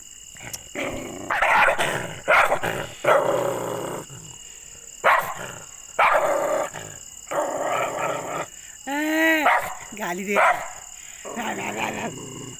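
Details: Angry dog barking and growling in a series of rough bursts, with a high wavering whine near the end and a woman speaking in Hindi in the background.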